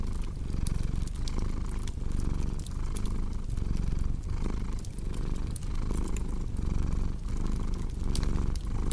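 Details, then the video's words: Soft, rhythmic cat purr rolling on in low throbbing pulses, paired with frequent crisp crackles from a burning fireplace for relaxation. "Purring Cat with Cozy Crackling Fireplace Sound"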